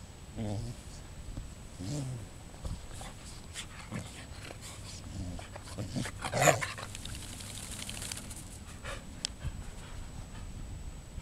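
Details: A Samoyed being dried after a bath gives short, low, whiny grumbles in bursts every couple of seconds, with rustling, handling noise and a faint human voice.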